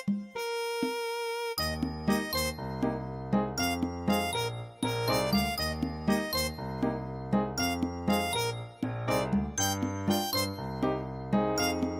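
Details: Bright children's keyboard music plays throughout, with a chiming tone at the start and bouncy piano chords, and no animal sound heard.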